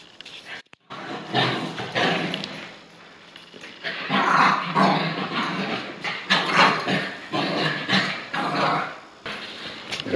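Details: Two Bichon Frise dogs at play, Frannie on a leash while Pierre runs free and teases her; a rapid, irregular run of rough growls and yappy barks, with broadband bursts and brief quiet gaps.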